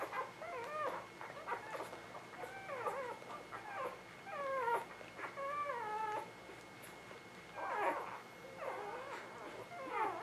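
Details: Ava Jericho newborns from spring 2017 whimper in clear bouts: nasal, bending whines that rise then fall, some drawn out and wavering, coming in quick clusters with brief pauses, while a faint constant high tone hums underneath.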